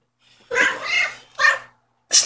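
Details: Mother cat kept indoors with her kittens at a rescue; a long wavering meow followed by a shorter one and the start of a third, loud and harmonic-rich, in a quiet room.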